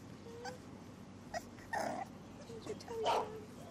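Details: Two seven-week-old male English Bulldog puppies playing outdoors on a ranch; scattered short squeaky whines and yelping whimpers, a few louder bursts near the end, over a steady low background hum.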